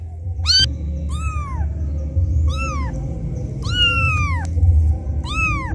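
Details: Abandoned kitten crying loudly to call its mother: six high meows, one clipped and short, one long descending wail, the rest arched and brief, set against a steady low-pitched hum.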